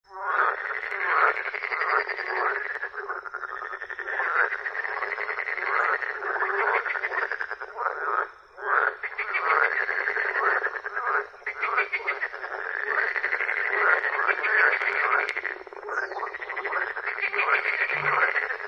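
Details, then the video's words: Frogs croaking in a dense, continuous chorus of rapid pulsed, rasping croaks that overlap throughout, with brief lulls near the middle before the calling swells again. "Frog croaking"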